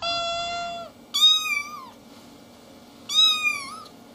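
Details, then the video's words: Little kittens meowing in turn: one low, level, drawn-out meow followed by two higher, sharper meows about two seconds apart, each slightly dipping at the close. "Little kittens meowing and talking"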